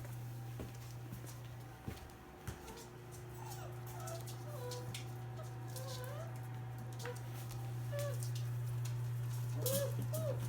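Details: Five-week-old black British Labrador Retriever puppies from a litter of six, indoors, giving short thin squeaky whimpers and little rising whines scattered throughout, over a steady low electrical hum with a few knocks.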